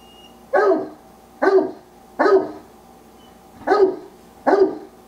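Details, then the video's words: Wallace, a pet Old English Sheepdog, barking to tell his owners what is on his mind: five short, punchy barks spaced under a second apart, each sharp-edged and mid-pitched, with quiet gaps between. "40 Old English Sheepdog Sounds"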